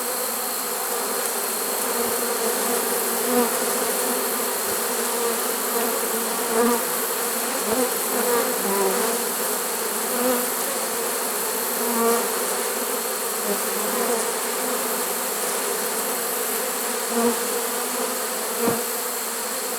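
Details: A late-season honey bee swarm in a trap, September 2019, makes a loud, continuous massed drone; the hum holds steady while small individual buzzes and soft knocks rise briefly through it.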